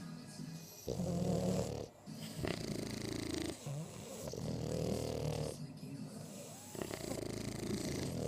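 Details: French Bulldog. Heavy snoring from a French Bulldog, each breath a low, throaty rattle lasting about a second. The snores come in a steady rhythm with brief quiet gaps between them.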